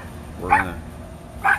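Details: Rat Terriers, the sibling pair Bandit and Jewel, playing in a back yard: two short, sharp barks about a second apart over a low background rumble.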